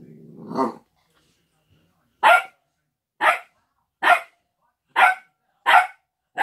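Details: Old English Sheepdog in a kitchen, indoors: after a brief human voice, six sharp, loud barks come in a series, spaced roughly a second apart.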